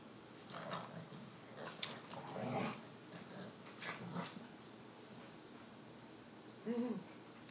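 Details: Lola and Rico, an Olde English Bulldogge and an English Bulldog puppy, tussle over a stuffed bear, giving short throaty growls in bursts and one brief tonal whine-like yelp at the close.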